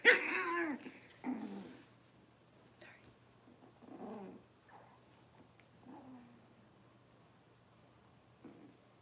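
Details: Cavalier King Charles Spaniel puppies, six weeks old, in a pen while being dewormed and having their toenails trimmed. Harsh, growly yelps open the sequence, then lower moaning whines come about every two seconds with quiet gaps between.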